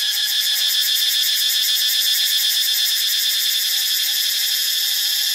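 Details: Cicadas recorded in Ubon Ratchathani, Thailand: a loud, unbroken high-pitched buzzing chorus with a steady shimmering pulse running through it, with no other sounds.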